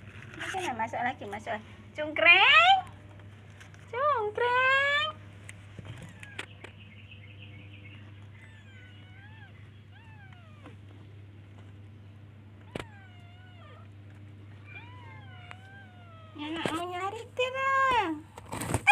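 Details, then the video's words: Baby kittens looking for and calling their mother with meows: several high, arching harmonic mews in bursts, some rising and falling, separated by quieter stretches with a steady low hum underneath. "Cute baby kittens looks for and calls its mother by meowing"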